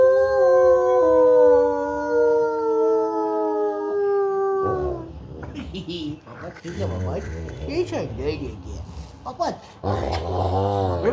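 A Rottweiler gives a long, steady, mournful howl, then a person starts talking.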